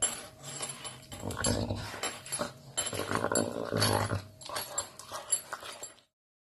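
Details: A caracal that loves meat growls in low, rumbling bursts with harsh, breathy edges over about six seconds.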